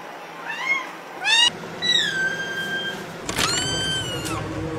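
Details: A kitten gives a short burst of high meows. There are quick rising squeaks, then a longer bending meow that levels off and holds, and finally a louder meow broken by rustling handling noise.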